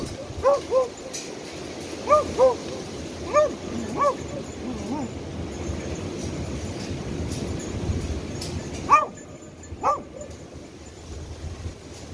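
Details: Beagle in rescue dog training, locating victims: clear harmonic barks, often in pairs, about six in the first four seconds, then a gap and two more strong barks, over a constant outdoor background hum.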